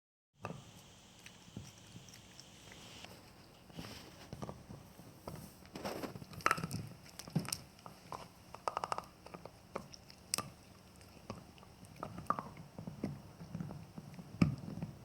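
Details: Male Jack Russell Terrier enjoying a bone indoors in a small room: irregular crunching and gnawing clicks with scattered louder bites and soft shuffling between them, no voices.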